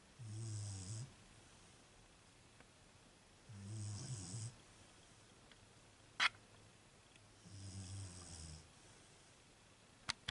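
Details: Beagle bitch snoring in her sleep. Three low, grumbling breaths arrive about four seconds apart, each with an airy rasp on top. Two sharp clicks break the quiet between them.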